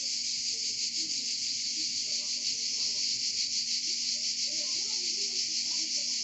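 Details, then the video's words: Cicadas in Provence, France, singing together: a loud, continuous high electric buzz that pulses quickly and evenly, with soft scattered low sounds beneath the chorus. "Chant des Cigales en Provence"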